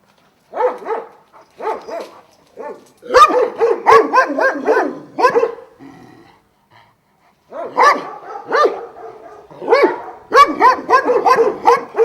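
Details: Šarplaninac sheepdogs of Vujanski lineage at a kennel of twelve in Jasika near Kruševac, Serbia: several dogs bark in deep, rough bursts, falling quiet midway, then resume in a dense, overlapping volley.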